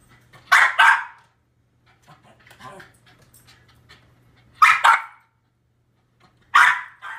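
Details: Dog barking at a TV screen showing footage of himself barking at squirrels, indoors; three bursts of sharp double barks spaced a few seconds apart, with faint quieter sounds and low hum between them.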